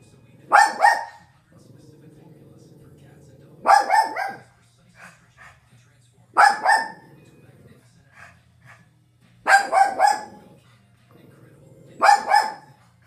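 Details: A Shih Tzu barks in short bursts, often two or three quick yaps together, every two to three seconds, while watching a dog food commercial on television; television voices and music murmur underneath.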